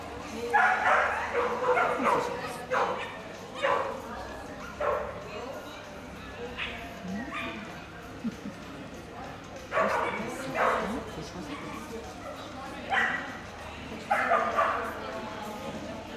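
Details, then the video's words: Whippet barking at a 2018 coursing event in Argovia: short broadband barks come in bursts about every second or two, with quieter gaps and faint background voices. "Coursing Argovia 2018 Whippet"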